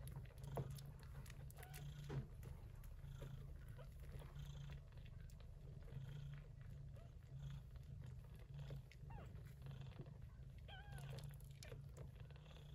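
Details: Gray Persian Chinchilla shorthair mother cat Yupi caring for her kittens, born in an early-September typhoon; a continuous low pulsing purr, with soft clicks, rustles and a couple of faint high mews late on.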